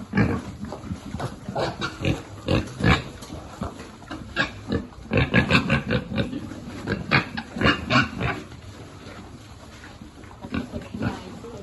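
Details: Piglet being fed among a farm pig group: rapid, rough, broadband grunts in uneven bursts, densest midway, then tapering to sparse snorts near the end.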